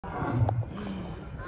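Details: Two lions at Brookfield Zoo roar with deep, rumbling roars while people talk nearby.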